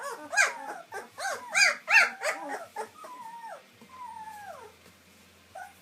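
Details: White German Shepherd puppies, just beginning to sit up and walk, yelp in a quick series of arched whimpers, then trail into two long, drawn-out falling whines.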